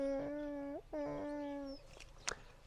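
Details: Dogs in a rural Romanian village on a cold, frosty autumn morning whine in two long, steady, nasal tones, each bending upward at the end; they whine sadly each time their owner leaves the house.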